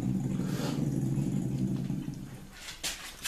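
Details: Dog in Kherson on 11 July 2021 growls to guard its salo from a cat that stays calm. A deep, throaty growl holds for about two seconds and then fades, followed by quieter rustling and a woman's voice.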